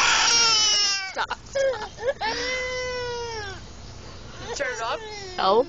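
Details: Screaming American bullfrog: a loud opening wail, a few choppy yelps, then a long, level cry that slowly falls, and brief rising squeals near the end.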